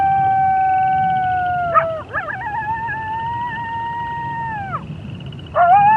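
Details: Coyote howling at night on a prairie: long, steady, slightly falling wailing notes with rich overtones, broken by brief wavering breaks, then a sharp rising restart; frogs and toads trill steadily in the background.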